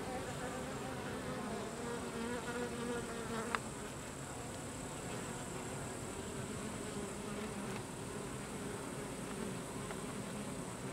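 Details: Carniolan honey bee (Apis mellifera carnica) workers expelling drones from the hive: a steady, dense, low droning hum of many bees, unbroken for the whole stretch, with a few faint clicks.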